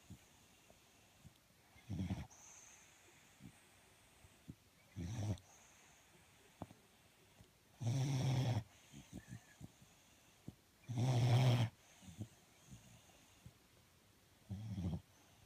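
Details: Dog snoring in its sleep, soft low rasping breaths recurring every three seconds or so, some louder than others, with small snorts and clicks between them.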